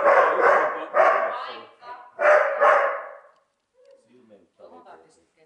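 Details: During his first sheep-herding session, Neo the dog, irritated by the stick and not barking at the sheep, gives about five rough, rapid barks in close succession, then falls quiet while people talk softly in Finnish.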